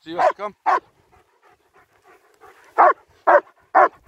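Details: Two German Shepherds, Nico and Zeeva, out on a winter walk in Hawick, Scotland, recorded with a Samsung S23 Ultra: a quick burst of three barks, a pause with faint sounds, then three more evenly spaced barks.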